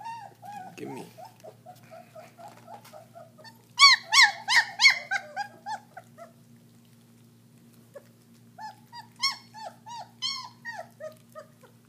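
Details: German Shepherd puppies, roughly 3.5 weeks old, tasting raw meat for the first time: soft whimpers, then a burst of loud piercing squeals, a quiet pause, and another run of high yelps, with a faint hum beneath.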